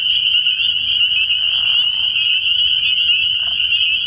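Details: Massed spring peepers at a nighttime frog pond early in the year, producing a constant high-pitched ringing of countless overlapping peeps, dense and even from start to finish.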